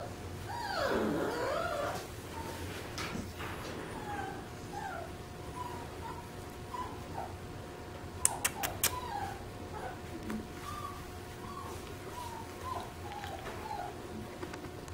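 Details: Golden Retriever up for adoption, whimpering: short high whines repeated roughly every second through the recording, a longer wavering whine near the start, and a few sharp clicks at about eight seconds.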